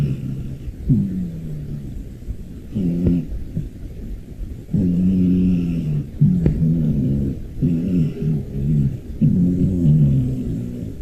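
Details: A rescued brown tabby cat snores in loud, rhythmic, nasal breaths, each a rough buzzing rumble lasting about a second, with brief pauses between them and a few soft clicks.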